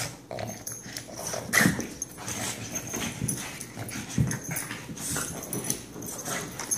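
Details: Two excited dogs named Benny and Lilly make loud punchy barks mixed with brief whiny notes and a few low growly sounds. The bursts are scattered unevenly across the stretch, with a strong one early on.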